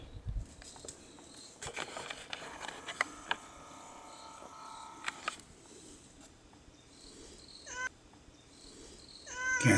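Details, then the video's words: Stray domestic cat in a seaside setting as winter approaches, with a man waiting for it to meow; after scattered clicks and handling noises, short harmonic meows come near the end over quiet outdoor background. "鳴かぬなら鳴くまで待とう健太郎 ニャン？"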